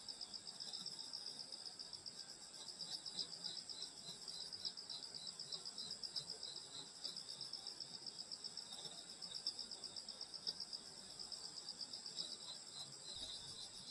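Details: On a rural summer night by a grandmother's house, many insects trill together in high, steady bands, their rapid pulses repeating about four times a second without pause.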